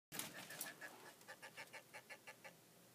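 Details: Hermit crab chirping: a quick run of short, bright chirps about six or seven per second, loudest at the start and fading toward the end, over a faint steady hiss.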